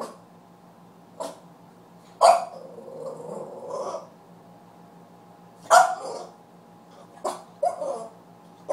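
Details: Puppy giving sharp, separate barks, some trailing into short growly yelps, coming in bursts a second or more apart over a quiet indoor background with a steady low hum.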